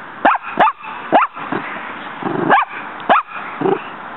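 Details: Female dog Muñeca in her yard, repeatedly lunging at a fighting praying mantis. Six abrupt barks arrive in a ragged rhythm, some in pairs, with softer grumbling sounds between them.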